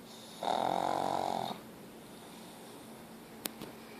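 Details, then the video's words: Pug named Ozzy snoring hard: a single rough, buzzing snore of about a second, then quiet breathing and two small clicks near the end. "Meu pug Ozzy roncando"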